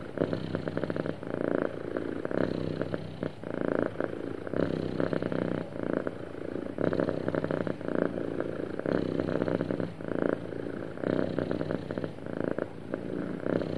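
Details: Happy cat purring steadily over a long stretch, a deep, even rumble that swells in regular waves about every two seconds as the animal breathes, close to the microphone.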